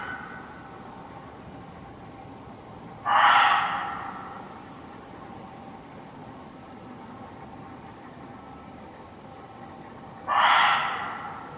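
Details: Muntjac, or barking deer, calling while well hidden in undergrowth in a Hertfordshire forest, heard from close by: two loud, harsh single barks about seven seconds apart, each a short rough burst dying away, over quiet woodland background hiss.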